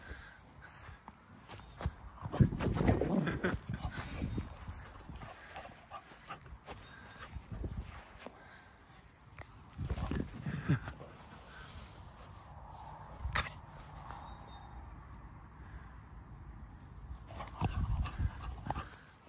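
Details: A cocker spaniel puppy playing keep-away with his ball gives short, rough growling bursts in irregular spurts, with quiet gaps between.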